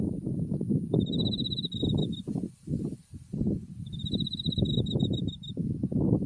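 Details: Autumn insects singing beside a white-flowering buckwheat field with Mount Tsukuba in view: two high, clear pulsed trills of rapid chirps, each about a second long, over heavy low rumbling wind.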